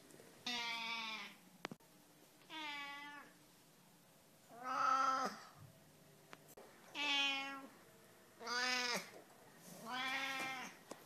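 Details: Domestic cat meowing with a voice that sounds like a lamb's bleat: six drawn-out, wavering, harmonic-rich cries, each about a second long, spaced roughly every one and a half to two seconds, with faint clicks between.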